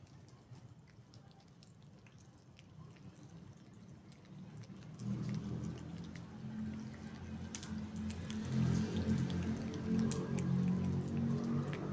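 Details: Dripping rain and patter under soft music that swells louder after five seconds, with low rumbling; no animal calls come through.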